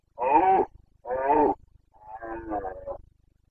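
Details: Roaring Carpathian red deer stag, Bucovina, rutting season in September: two strong hoarse bellows in quick succession, then a longer, softer, more grunting roar trailing off.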